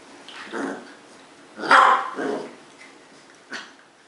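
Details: Two 10-week-old Cardigan Welsh Corgi puppies, a brother and sister in Adelaide, South Australia, give short, high yaps and squeaky growls while play fighting.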